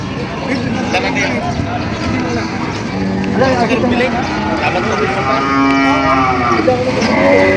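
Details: Cows for sale at the Padre Garcia cattle market in Batangas, Philippines, July 17, 2026: several drawn-out, harmonically rich moos, one long low bellow near the middle, rising over steady crowd chatter and outdoor market bustle.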